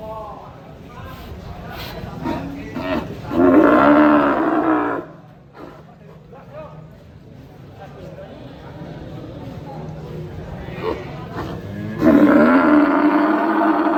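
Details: A fat cow gives loud, drawn-out, strained moos with a harsh, wailing tone, strange sounds likened to a crying elephant, almost like a trumpeting cry.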